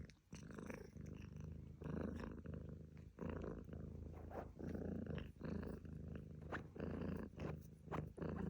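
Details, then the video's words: Purring house cat, a deep continuous rumble broken into rhythmic bursts about one per second as the animal breathes in and out, recorded up close. "Cat Purring Sound Effect"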